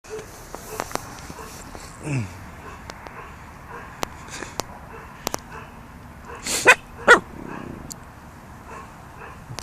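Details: Puppy playing with a fish; after quiet stretches of scattered clicks and a soft low sliding sound, two sharp, loud barks come close together near the end.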